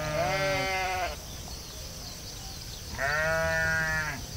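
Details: Sheep bleating in a field, two quavering, nasal bleats about a second long each, separated by a short pause, over a low outdoor rumble and a faint high steady hiss.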